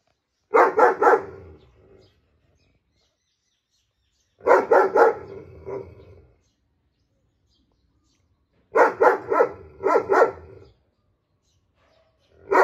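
A German Shepherd barks in quick bursts of three to five deep, harsh woofs, pausing between rounds.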